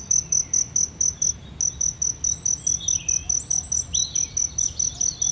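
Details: Shrill cricket chirping beside aloe vera blossoms: short, bright pulses come in a regular stream, about three per second, with a brief break early on and quiet bird calls in the background.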